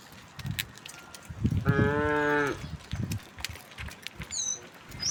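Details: Tame cattle crossing open countryside toward green fields in the morning: one clear moo of under a second amid low rustling and footstep-like thumps, with brief bird chirps near the end.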